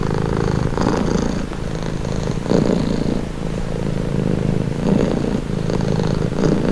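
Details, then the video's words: Calming purr of a domestic cat; soft buzzing rumble rising and falling with each breath, louder swells near the middle and end, otherwise quiet. "Purring cat | Calming Relaxing Nature Sound"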